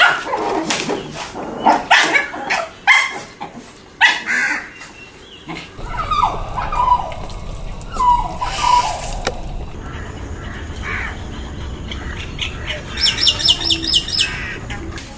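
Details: Forty-day-old Shih Tzu puppies at play give rapid sharp yips and barks early on, then thinner whining squeals; near the end a harsh, repeated bird-like call sounds over a steady low background hum.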